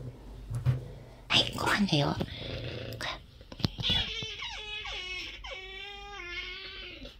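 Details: Nyaiger, a talkative stray cat blind in one eye who roams freely between the entrance porch and outdoors, answers after a human voice at feeding time with a run of drawn-out, wavering, harmonic meows, several in a row over about three seconds.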